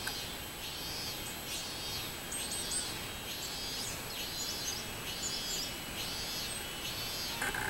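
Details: Recorded on 24 July 2016, a robust cicada gives a wavering, buzzy, high-pitched pulsing song, each phrase rising and falling about once a second, over faint ambient hiss.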